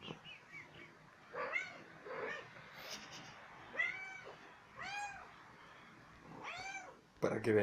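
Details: Young female house cat, one year old, wanting attention and play, utters a string of clear arched meows about once a second or two, with softer chirps and faint murmuring beforehand and a sharp knock at the end.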